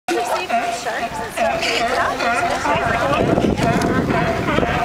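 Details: Sea lions singing and fighting together, a dense chorus of wavering, harmonic moaning calls that overlap continuously, with some gliding up and down and a steady mid-pitched tone running beneath.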